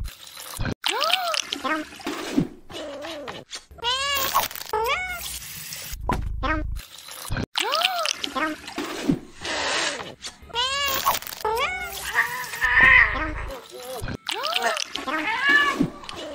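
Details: Angry cats meowing in a series of drawn-out, arching harmonic meows, some rising then falling, repeated across the clip with short gaps and brief bursts of background noise.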